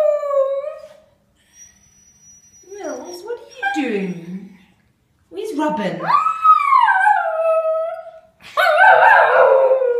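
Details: Spaniel dog singing indoors: long, sliding howls that swoop down and rise again, broken by brief whimper-like notes, with a person speaking nearby.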